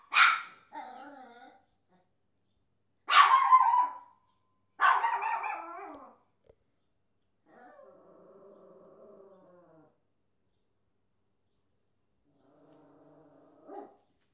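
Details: Papillon dog, pet indoors, known for barking at everything: several sharp, high, harsh barks in bursts over the first six seconds, then softer drawn-out tonal whining sounds and a final short yelp.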